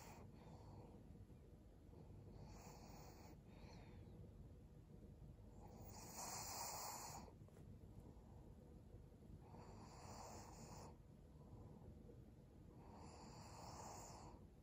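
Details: Maria, a 12-year-old fawn female senior Pug in Japan, recorded in December 2022, breathes noisily while resting: soft hissing, snore-like breaths recur every three to four seconds, each lasting about a second, over a quiet low background hum.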